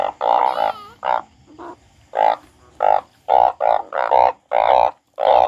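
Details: Frog said to be crying, giving a rapid series of loud, nasal croaks, nearly two per second, some doubled, in a steady stuttering run.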